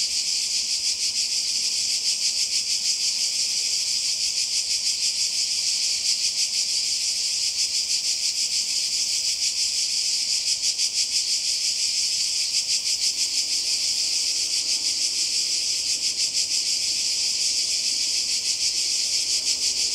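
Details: Seaside cicadas in Croatia during summer 2020 produce a steady, intense high-pitched rattle with fast even pulsing, continuous for the full twenty seconds.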